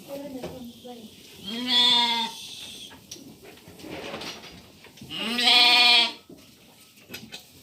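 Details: Lambs in the evening around feeding time, between suckling from their mother and eating feed: two loud, drawn-out, wavering bleats rich in harmonics, about three and a half seconds apart, with quiet sounds in between.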